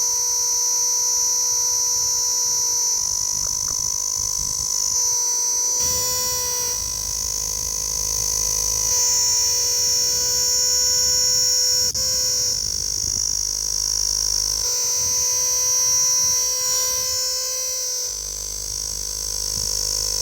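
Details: Insect that calls through the whole night; continuous shrill, high-pitched ringing buzz held without a break, with steady lower humming tones running beneath it.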